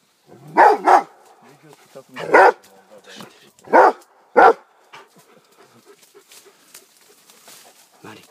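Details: Rhodesian Ridgeback Armani, aged 15 months, with a wild boar, gives a double bark, then three single hoarse barks about a second or more apart, followed by quieter background sounds.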